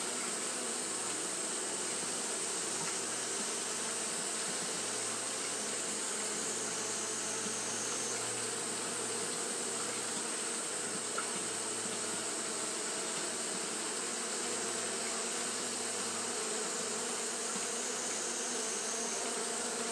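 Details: Japanese honey bees fanning nonstop on a hot day, a broad continuous buzz of many wings, with a faint mechanical low hum coming and going beneath the drone.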